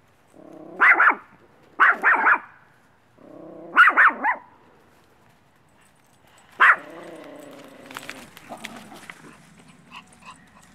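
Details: Missy, a one-year-old female Maltese, a social dog up for adoption from Helping Homeless Dogs Rescue in Brooksville, Florida: bursts of two or three sharp, high yappy barks separated by pauses, then a single bark and softer rustling.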